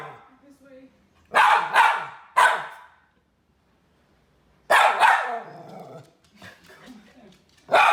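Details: Pet miniature red poodle Teddy Bungoo barking for a treat: two loud, harsh barks in quick succession, a two-second silence, then another bark with soft talking after, and a final bark at the end.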